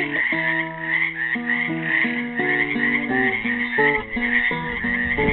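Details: Continuous pulsing trill chorus from frogs trapped in a pool at Helix, Oregon, Earth Day 2016, with a classical guitar playing a descending run of plucked notes and chords over it.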